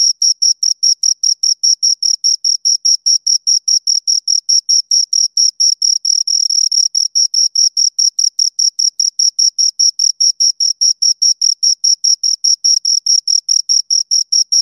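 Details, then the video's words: Two crickets chirp in a steady, rapid train of short, high, pure-toned pulses, about two or three each second. The rhythm stays even throughout against a completely quiet, clean background. "Two Crickets Chirp Sounds"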